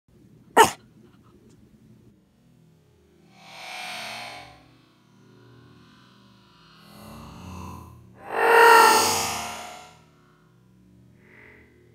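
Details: A sharp click, then bursts of distorted, effects-laden guitar noise, with no animal voice. The swells rise and fade twice over a low electrical hum.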